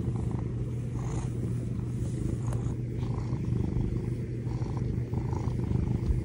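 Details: Domestic cat purring steadily in the morning while waking its owner; a continuous low, rumbling purr with an even pulsing rhythm throughout, with no other clear sounds.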